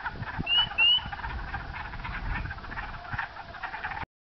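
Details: Spring peepers on a dark evening, 5 April 2010, on backroads near Sudbury, Ontario, Canada, calling unusually early after warm weather, give two clear, rising peeps above a steady hiss of distant chorus.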